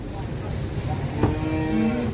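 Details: Large cattle in Purwokerto, Indonesia, among 25 head being loaded onto a big truck; a low, drawn-out moo with steady harmonics rises in the second half over constant background rumble.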